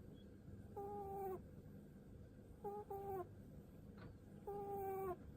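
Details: Domestic rabbit aged seven, stroked on the head, gives sighing snore-like pu-pu sounds: three drawn-out level humming tones ending in a slight downward bend, about two seconds apart, with a brief click between them and quiet room noise.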